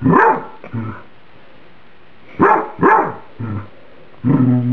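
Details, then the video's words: Pet dog reacting to food that is too hot, microwaved spaghetti: loud barks mixed with lower, drawn-out moaning notes, ending in a sustained whining, grumbling bark. "My Dog Emily Barking"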